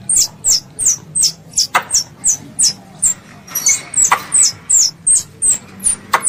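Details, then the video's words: Squirrel, described as a pest, calling its mother: a steady run of short, very high, downward-sliding chirps, about three each second, with a few sharp clicks between them. "THE SOUND OF A SQUIRREL CALLING ITS MOTHER"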